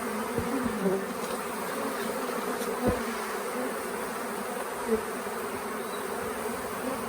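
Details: Honey bee swarm lingering several days at the Tamarind Tree Hotel, unusually late in the year, while being coaxed into a nuc box: a steady, dense droning hum throughout, with a few soft knocks and brief brighter buzzes of individual bees passing close.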